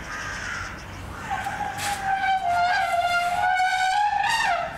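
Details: Little baby elephant named Shamu dancing and trumpeting: a brief higher note opens, then a long, brassy, harmonic-rich blast holds steady for about three seconds before bending upward and breaking off at the end.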